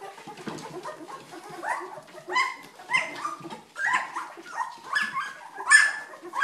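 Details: Old English Sheepdog pups, two weeks old, give a run of short rising squeals and whines about every half second, some louder and sharper, over soft background shuffling.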